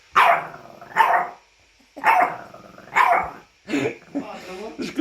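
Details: French bulldog whining and vocalizing in a series of roughly one-second moans with a nasal, speech-like quality, about five bursts separated by short pauses, the last ones broken into wavering grunts.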